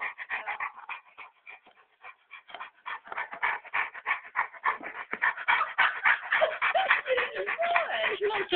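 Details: Dog making very strange, rapid whining and groaning noises while being massaged, a dense pulsing run of short voiced sounds about three per second, with a person talking and laughing over it.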